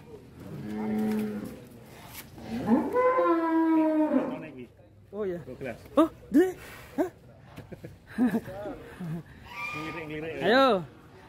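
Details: A huge, fat cow moos twice, long and low, the second call sliding downward, then men talk and comment around it.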